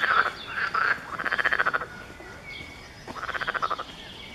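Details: A chorus of frogs at Zoo Magdeburg, recorded 7 June 2015, gives bursts of rapid, rattling pulsed croaks at a mid pitch.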